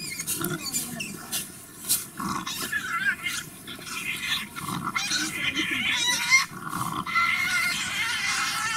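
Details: Tasmanian devils in an Australian zoo, feeding and fighting: harsh, rasping screeches and throaty growls overlap almost without pause, with brief higher squeals rising above the din.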